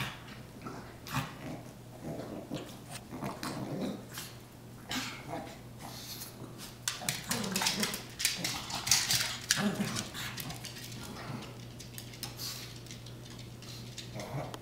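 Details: Indoor play-wrestling between pug Lola and chihuahua Prince, her foster brother from Lucky Dog Animal Rescue: rough low growls and snuffling grunts rise in the middle, over constant scrabbling, clicking and a steady low hum.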